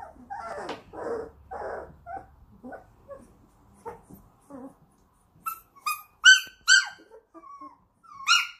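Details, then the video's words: German Shorthaired Pointer puppies making soft, breathy grumbles and short low whines early on, then several sharp, high yelping whimpers with bright overtones near the end, in a small indoor room. "Deutsch Kurzhaar puppies"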